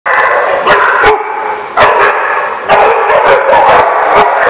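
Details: Dogs at a boarding place called The Barking Lot, recorded 28 August 2015, bark in loud overlapping bursts about once a second, with many voices layered into a dense, echoing chorus of yips and howl-like tones.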